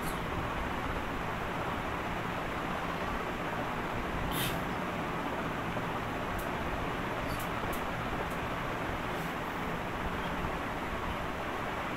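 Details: Loud, even rushing noise like a fan or distant traffic fills the whole stretch, broken only by a few brief clicks; no animal voice is heard.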